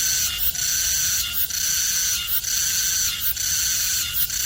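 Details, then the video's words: Cicada in Korea, with a bright high shrill rasp swelling and pausing in a regular beat roughly once a second, steady and loud throughout. "매미소리 듣기"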